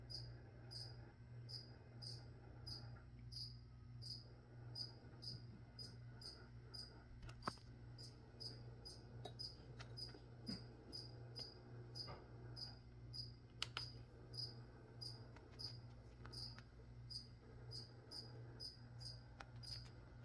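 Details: Cricket chirping steadily at close to a hundred high, short chirps per minute during plant spraying, with occasional soft clicks and rustling sounds and a persistent low hum beneath.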